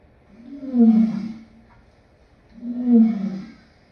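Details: Lion giving two deep, moaning grunts, each about a second long and swelling then fading, spaced roughly two seconds apart against a quiet background.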